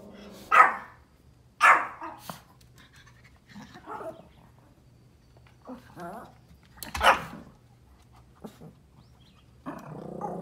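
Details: Outdoors, a Pomeranian barks at deer: two sharp high barks close together, scattered softer yelps and whimpers, then a single loud bark and a final whiny note over quiet background.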